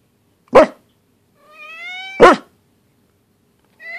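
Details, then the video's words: Pembroke Welsh Corgi named Luna, upset, voicing at home: two sharp barks about two seconds apart, with a rising whine between them and another whine starting at the end; quiet room otherwise. "Corgi has something to say"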